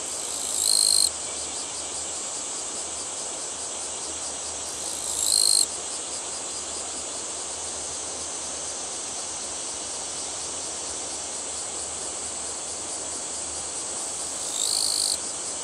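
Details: A Japanese katydid, vibrating its wings to sing, gives loud, buzzy bursts of about a second over a steady high insect drone.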